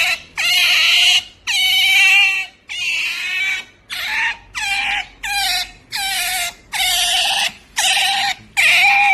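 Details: Pet otter making a pampering noise: loud, shrill, piercing squeals, each held about half a second to a second, repeated roughly ten times with brief silent gaps between.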